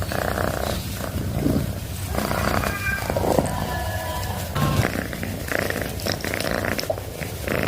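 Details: Domestic cat purring close up, a steady low rumbling drone with rhythmic pulsing throughout, some faint higher tonal sounds in the middle of the recording.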